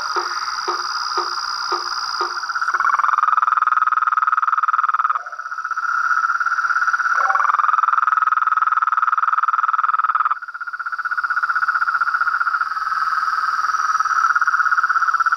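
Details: A noisy crowd of toads, frogs and treefrogs at a pond at dusk. Knocking pulses give way to loud, dense, sustained trills that break off briefly and resume, backed by a steady high hum.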